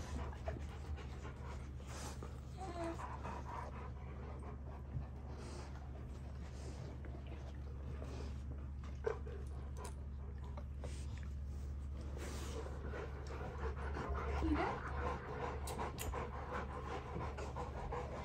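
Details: At home in the morning, a Rottweiler greets and wakes a baby, panting and snuffling in quick, breathy bursts over a steady low indoor hum.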